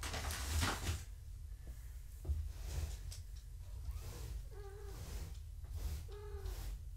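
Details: Gaia's kittens, fostered indoors with their mother, mew during a weigh-in for weight checks. Two short, clear mews with rising-then-falling pitch sound late in the recording, about a second and a half apart, over low room rumble and handling thumps.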